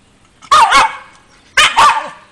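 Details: Shiba Inu dog that loves bathing in water gives two quick double barks about a second apart, sharp and loud, against a quiet background.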